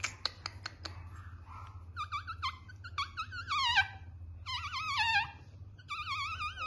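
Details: Male Cockapoo puppy whining: a few sharp clicks, then a run of high, wavering squeals that rise and fall in bursts, some drawn out and sliding downward, over a low background hum.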